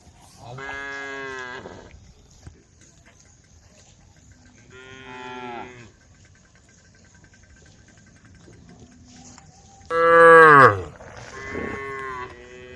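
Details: Female cows from a tame herd returning to the cowshed give separated drawn-out harmonic moos, three or four calls with quiet gaps, the loudest near the end, over a faint steady background hum.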